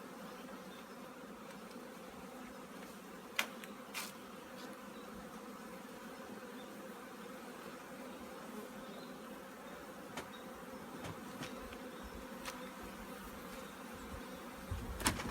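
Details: An apiary's honey bee colony getting ready for winter: a long, unbroken low hum of numerous bees, with scattered clicks and taps, and a louder knock at the very end.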